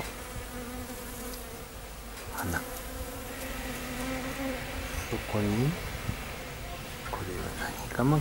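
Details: Honey bees visiting knotweed blossoms in a home garden in Thailand. A continuous low buzz runs under several swooping passes, where single bees fly close and their hum bends quickly down in pitch. A soft voice is faintly audible.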